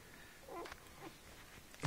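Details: Four-day-old German Shepherd puppies, at least three or four of them males, nursing from their mother Ninja indoors: a short, thin whimpering squeal rises and falls, a softer whine follows, then a brief thump closes.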